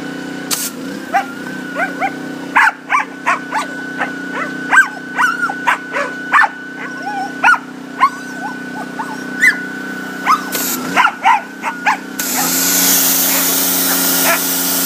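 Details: Boykin Spaniel playing with a pressure washer, giving short sharp barks in quick bursts, often several per second, over the steady droning hum of the washer engine, which swells into a hissing spray near the end.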